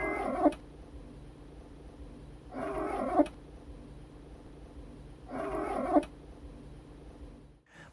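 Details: A domestic cat gives short rolling trills, each a vibrating, chirrup-like purr-call, repeated about every three seconds. Trilling is used to call the owner, to greet the owner happily while lying down, or to seek attention.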